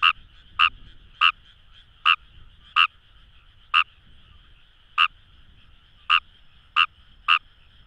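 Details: Paddy-field chorus of Fejervarya kawamurai at Itoshima, Fukuoka Prefecture, Japan, Kamo River rice fields: ten crisp clicking croaks at uneven intervals, each a brief bright pulse, with a faint continuous hum of other frogs behind.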